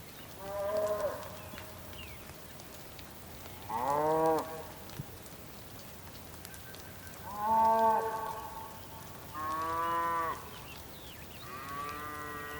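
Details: On the rain-swept Patagonian plain of Tierra del Fuego, Argentina, bulls give five separate bellowing moos, each about a second long, spaced a few seconds apart, some ending with a downward slide.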